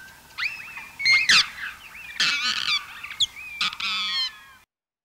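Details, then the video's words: Echolocation calls of a large colony of Mexican free-tailed bats, a common Texas bat, slowed down into overlapping squeaky chirps, sweeps and buzzy bursts. "the following calls were made by a large colony of mexican free-tailed bats"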